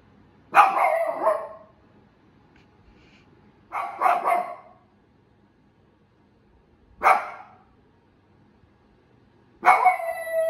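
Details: Female Shiba Inu named Miko vocalizing: four separate barks spaced roughly three seconds apart, each a harsh, slightly drawn-out yelp that trails off, with calm silence between them.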